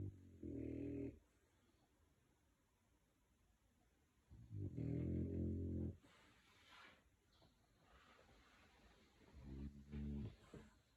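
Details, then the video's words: Sleeping dogs, an American Pit Bull, a French Bulldog and an English Staffy bull, snoring indoors; rough, low, rumbling snores in bursts about one second long, separated by quiet pauses of several seconds. "Когда твой сосед сильно храпит…"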